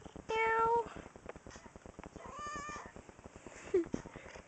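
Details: A spoiled pet cat indoors gives one clear, steady, level meow, then a fainter second cry and a brief chirp, with a soft rhythmic ticking noise in the background.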